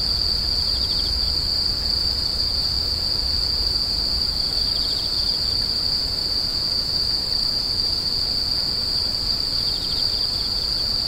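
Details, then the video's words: Unbroken high-pitched insect buzzing holds a constant tone for the whole stretch, with occasional faint short pulsed chirps from a second caller and a steady low background rumble. "The sound of insects crying"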